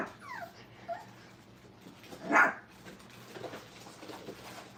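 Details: Brittany puppies in crate and tunnel training at a kennel, giving faint, thin whines that slide downward, two short ones near the start, then a single loud broadband bump or knock and quiet background rustling.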